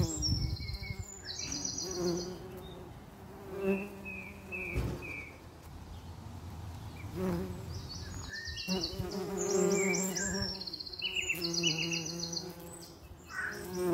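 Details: A common eastern bumble bee (Bombus impatiens) drones with a low, wavering wing buzz that swells and fades as it moves.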